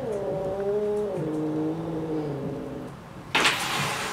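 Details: Domestic cat fighting a Swiffer indoors gives a drawn-out, low, moaning yowl with steady stacked harmonics that dips and wavers for nearly three seconds, then a sudden sharp noisy burst.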